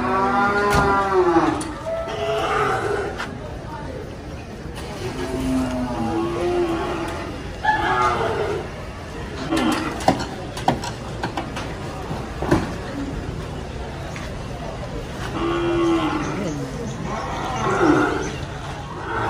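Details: Jumbo cattle, four brought to the Sibreh animal market in Aceh Besar, Indonesia, give several deep, drawn-out moos with rich overtones, while crowd chatter and people talking run through the market throughout.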